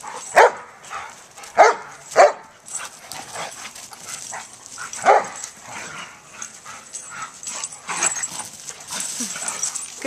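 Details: Play barks from two adoptable rescue dogs, Joy, a senior German Shepherd, and Riley, a year-old Pit Bull, romping together: four sharp loud barks in the first five seconds, then softer yips and scuffling, with a woman's voice praising them.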